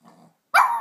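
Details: Black and white Shih Tzu puppy, nine months old, named Mister Tiggy Winkles, barking for his squeaky toy: a faint low rumble, a short pause, then one sharp, bright bark that trails off.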